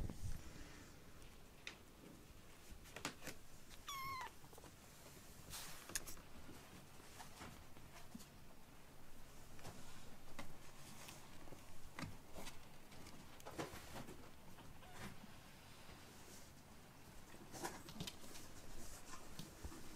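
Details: Foster kittens Ashiro and Akuro, rescued and being weaned indoors, playing after a meal; one short, thin, high meow rising and falling near the four-second mark, surrounded by scattered clicks, taps and soft handling noises.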